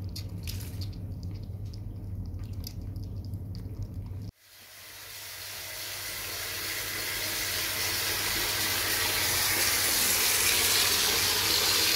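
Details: Kittens being bathed in a tub after playing in mud: a few seconds of clattering and splashing, then a sudden switch to a steady rushing of tap water filling the tub, growing gradually louder, with no meows audible.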